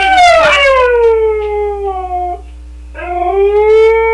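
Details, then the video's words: An 11-year-old male Siberian Husky howls: a long, clear tone slides downward and fades, then after a short pause a second howl rises again and holds steady. "siberian husky howling"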